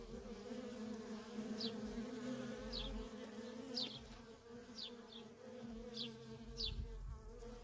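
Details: Worker honey bees in nonstop traffic at a feral colony make an unbroken two-toned drone, with a few sharp, high falling bird chirps every second or so in the background.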